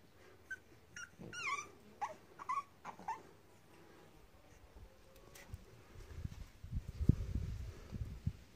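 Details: Blue fawn French bulldog giving a series of high, squeaky whining yelps in short bursts during the first three seconds, then quieter snuffling and low rustling thumps.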